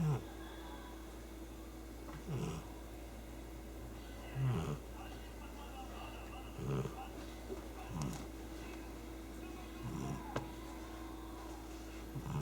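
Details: Sleeping pet cat snoring loudly, low rasping breaths repeating roughly every two seconds over a steady background hum.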